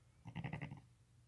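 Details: Sheep with newborn lambs born the same day, nursing with the mother: a brief low, pulsing bleat of about half a second with a wavering, throaty quality, and a faint steady hum in the background.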